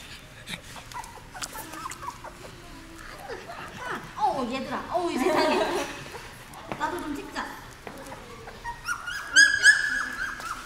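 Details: Seventeen-day-old puppies newly placed in a dog café whine and squeak in scattered high bursts, building to sustained squeals at the end, mixed with nearby speech and handling noises.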